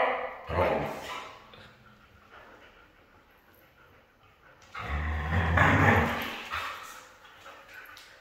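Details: Red female Siberian husky vocalizing indoors: a short, loud, harmonic whining yowl near the start, a pause, then a longer, rising-and-falling drawn-out vocal burst lasting over a second, with faint room noise between.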